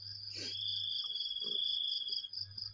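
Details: Morning crickets during a spell of heavy rain, producing a continuous shrill two-toned trill that stays level throughout, with a brief rustle near the start and a few faint soft knocks; mains hum underneath.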